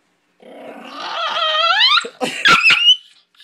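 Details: An excitable indoor dog gives a rising, whining howl that climbs steadily in pitch over about one and a half seconds, followed by a few sharp yips and barks.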